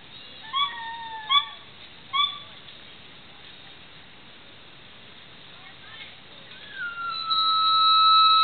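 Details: Black male gibbon, the sole caller here, gives three sharp whistled hoots in the first seconds, then a quieter stretch, ending in a loud, long steady high whistle.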